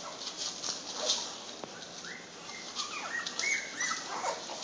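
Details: American Bulldog puppies, born at Thanksgiving in Dickinson, Texas, give thin rising and falling whines and squeaks in a small room, several short cries overlapping amid rustling and soft bumps.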